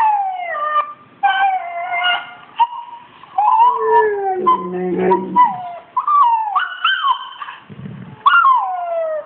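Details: An Australian Shepherd named Kålle answering a Rottweiler puppy online: strings of falling whines and wavering howls, a low rough growl-like sound near the middle, and a short low grumble toward the end.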